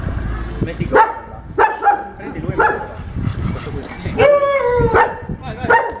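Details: Barks from an unmanageable German Shepherd during its second training lesson: a few sharp, harmonic barks spaced irregularly, with a longer drawn-out yelping bark near the end and low background rumble.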